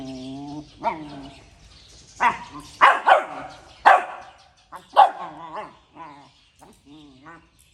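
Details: Puppy barking early in the morning: a drawn-out whining tone opens, then sharp, high yapping barks come in uneven bursts, some doubled, before trailing off into softer, shorter yips near the end.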